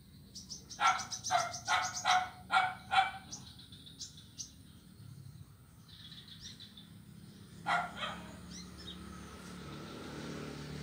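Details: Blind kitten playing on an ironwood (ulin) wooden bridge on Jalan Kolonel Sugiono, Kuala Kapuas, Central Kalimantan, Monday 25 November 2019. Four quick, harmonic meows in the first three seconds, a fifth near eight seconds, faint high chirping behind.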